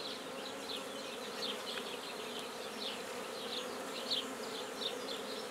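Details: Black bees in a newly started hive at Guernay, Côtes-du-Nord, France: a steady, low, droning hum runs throughout, with birds chirping and twittering repeatedly above it.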